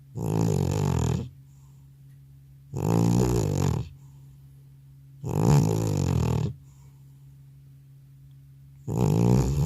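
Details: Aged male cat in a multi-cat household, deeply asleep following a hospital visit, captured without a dedicated mic: four long, growly snores of over a second each, spaced about three seconds apart, loud and coarse against a silent room.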